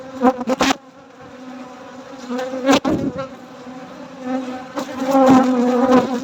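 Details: Nighttime honey harvest with honey bees droning in a continuous low hum, repeatedly interrupted by loud clicks and rattling knocks near the start, around three seconds and again near five seconds.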